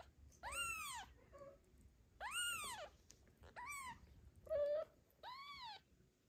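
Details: New mother cat Zlata, wary of cats Joanna and Ginger near her kitten, carries it off in her teeth; five loud arched meows plus one short, flat, lower cry in about six seconds.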